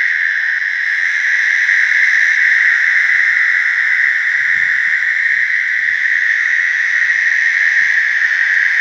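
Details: American toads in a slough give long, steady, musical trills, the high buzzing mating call filling the air without a break.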